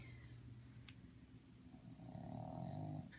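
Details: A 3½-month-old Boston Terrier puppy snores in low, rumbling, rhythmic breaths.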